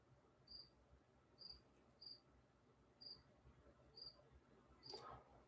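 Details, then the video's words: A cricket chirping somewhere outside a door at night, picked up faintly by an indoor microphone: short high chirps repeated about once a second, quiet against a low steady room hum. "Dude, can you hear the crickets?"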